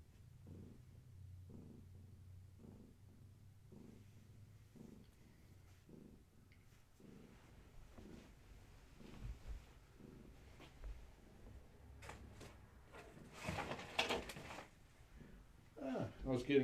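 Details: Domestic kittens of Gaia, a long-haired tabby, purring during evening play and leg massages indoors; soft low rhythmic purr pulses roughly every two seconds for the first half, then rustling handling noises and louder bursts near the end.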